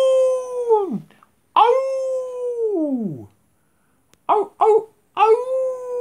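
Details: Pet dog howling at the big full moon: long tonal howls near 500 with strong harmonics, each holding steady then sliding steeply down, broken by short sharp yelps before a new howl starts; quiet between.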